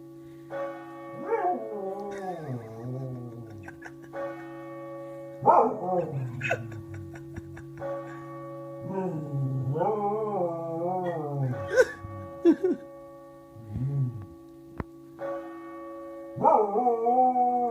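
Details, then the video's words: Dog in Meath howling along with the Angelus bells: repeated rising-then-falling wavering howls, about five bouts with short gaps, over steady sustained bell tones and occasional bell strikes. "Meath dog howls along with the Angelus"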